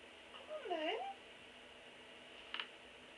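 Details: Black and white pet cat indoors in a small room, jumping onto a bed; one short rising-then-falling meow lasting about half a second, then a faint click, over quiet room hiss.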